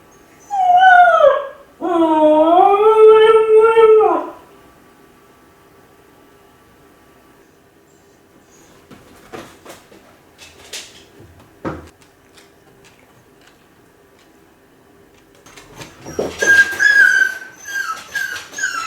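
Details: Lonely Kai Ken dog Ichi howling while home alone, seemingly calling its family: a short howl, then a long wolf-like wavering howl of about two seconds, quiet clicks, and a burst of high whining cries near the end.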